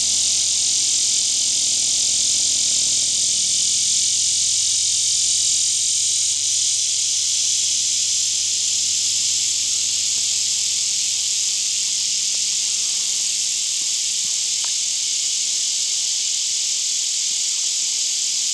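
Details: Male Neotibicen lyricen cicada calling for a mate near Winslow, Arkansas, on a mid-morning in August 2011, abdomen arched and wings parted; a steady, loud, high buzzing drone, blended with a background chorus of hundreds of other cicadas.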